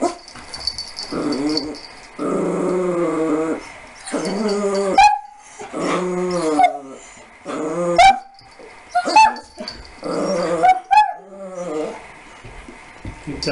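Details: Young puppy, 15 weeks and 2 days old, meeting a large Siberian Husky for the first time, nervous at first before playing; repeated whiny yelps and rough, growly bursts come in spaced clusters of about a second, with high squeaky notes between them.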